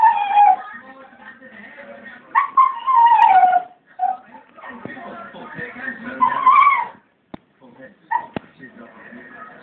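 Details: Springer spaniel in a garden howling toward a bird, giving softer, wavering, downward-sliding howls broken by gaps and a few brief clicks or knocks.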